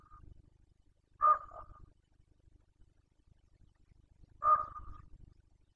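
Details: Carpathian red deer stag roaring during the 2021 breeding season in Bucovina: two loud, hoarse, harmonic bellows, each about half a second long, spaced roughly three seconds apart over a steady low rumble of background noise.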